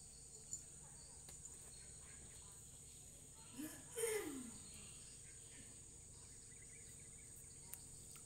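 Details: A Persian cat, a kitten with its mother, gives a single brief, falling meow over a steady high insect-like hum.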